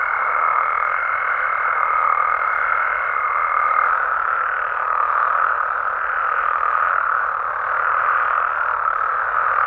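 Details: A dense night chorus of frogs in Mexico, a steady mid-pitched wall of croaking with no breaks; frog.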